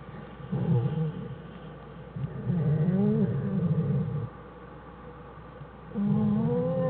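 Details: Black bear mother and two cubs in the den, January 1, 2013; low grumbling, humming calls with gently wavering pitch, coming in three bursts separated by quieter pauses.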